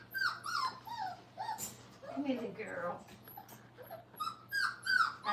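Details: Five-week-old Brittany puppies in a crate during crate training whimper in a steady run of high, thin, falling whines, several overlapping, with brief louder yelps near the end.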